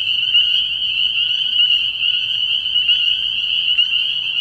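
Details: A full pond of spring peepers calling at night in early spring, producing an unbroken, high-pitched jingling drone of overlapping peeps with slight pulsing in loudness.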